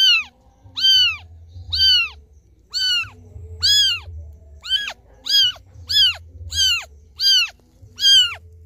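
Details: Crying kitten calling for its absent mother. Ten shrill, arched meows repeat steadily, under a second apart, each loud and tonal with a quick drop at the end. A soft low rumble runs behind them.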